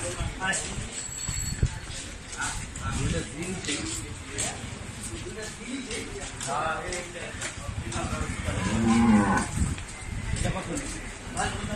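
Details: Cattle at the Paragram Hat livestock market, where two large cows were bought: several low, hoarse moos rise out of constant crowd chatter and market bustle, with the clearest, longest moo late in the recording.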